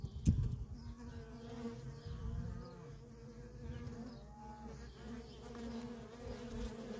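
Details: Worker honey bees in nonstop traffic at a feral colony: a steady, layered hum with a low drone and a clear tone near middle pitch, slightly rising and falling as bees pass, with a short loud knock near the start.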